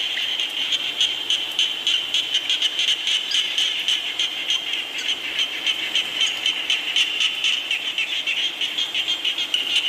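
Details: Chorus of frogs during rainfall: rapid, rattling high-pitched pulses stacked from many animals, beating roughly four per second without pause, with a faint hiss of rain beneath.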